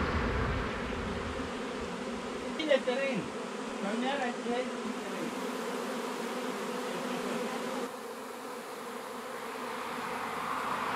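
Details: Honey bees from a swarm being rehoused in a new hive, humming in a steady dense drone, with a few brief higher tonal sounds and a knock early on over the constant buzzing.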